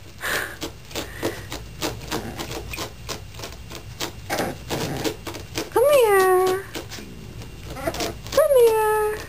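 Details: An 8-week-old Boston Terrier puppy walking down stairs for the first time, then falling, gives two high, tonal yelps that slide downward after a person's coaxing voice.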